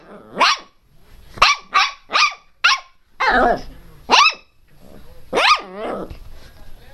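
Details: Pinscher named Teco barking loudly and angrily, sharp high yaps with rising pitch, about eight barks at irregular intervals, some rougher, drawn-out yelps mixed in.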